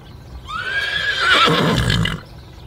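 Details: Horse whinnying once, a loud wavering neigh that rises, then shakes and trails off over about one and a half seconds, with faint thuds underneath.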